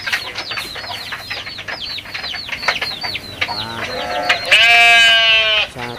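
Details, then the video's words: Rapid, dense chirping from small birds or chicks fills the background. Then a goat breaks in with one loud, flat, prolonged bleat and a brief second call. "Suara kambing lucu, funny goat sounds animal goat sound"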